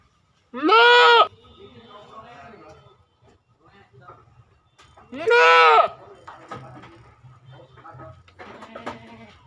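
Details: Goat bleating twice, each a loud quavering bleat under a second long, about five seconds apart, with quieter shuffling, scraping and low background sounds between calls.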